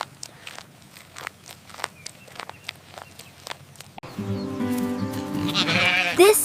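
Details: A young goat gives a loud, wavering bleat after a few seconds of soft clicking and rustling.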